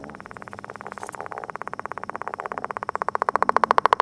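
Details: Courting northern leopard frog at an egg mass gives a long, steady rattle of rapid clicks, building in loudness toward the end like a drawn-out snore.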